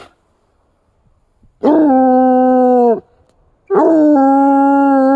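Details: A Bluetick Coonhound in the woods, stirred to howl by signs of deer and deer tracks in the snow; two sustained howls with a sharp onset, the second stepping down slightly partway through.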